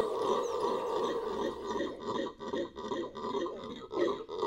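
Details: Rumbling, coarse roar of a Venezuelan red howler monkey, a dense, continuous growl that swells and dips in volume with short breathy gaps near the end.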